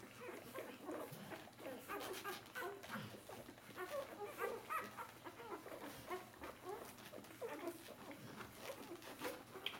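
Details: A litter of four-day-old Bernese Mountain Dog puppies jostling to nurse; many short, high squeaks and whimpers overlap with soft shuffling and suckling noises throughout.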